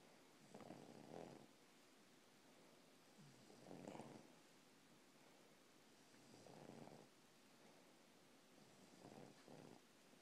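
An English bulldog snores in slow, rasping breaths, each lasting about a second, roughly every three seconds.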